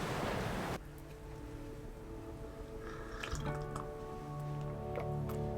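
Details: A burst of broadband noise, then steady droning tones with scattered dripping and tapping sounds, and no animal voices.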